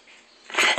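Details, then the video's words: Pet dog talking back while told "no barking", answering with a single sharp, harsh, noisy bark near the end, after the owner repeats no. "Back-talking Dog"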